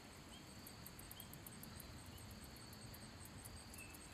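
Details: Handsome meadow katydid singing by rubbing its wings: a thin, steady buzz held throughout, with a regular series of high ticking pulses in the first seconds, over a constant low rumble of background noise.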